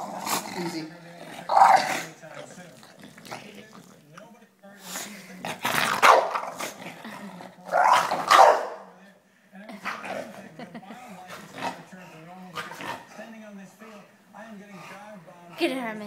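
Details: English Bulldog named Herman, a pet, playfully attacking a person's foot: low rumbling growls and snorts run through the clip, overlapped by people talking and laughing in Spanish.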